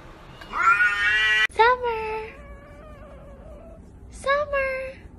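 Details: Domestic cat giving drawn-out, harmonic meows: a long wavering cry, then two shorter rising-then-falling meows after pauses, indoors with faint background hiss.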